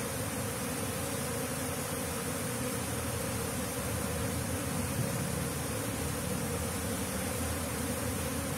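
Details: Asian honey bee (Apis cerana) swarm settling into a nest box during a transfer operation; constant heavy hum of many wingbeats, deep and steady, no other sounds standing out.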